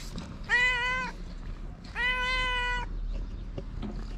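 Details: Two hungry stray cats on a street in Morocco; two clear, drawn-out meows, the second longer and steadier, each slightly falling at its end, over low street rumble.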